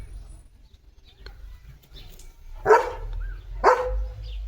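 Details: Leo, a pet German Shepherd dog at home, gives two short, sharp barks about one second apart after a quiet stretch, over a low background rumble with faint household sounds.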